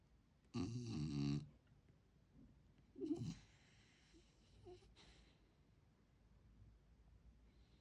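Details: Jindo mix dog, an adopted rescue, snoring while asleep after a tiring day of play; one loud rasping snore near the start, a shorter snort around three seconds, then quiet soft breathing in a small room.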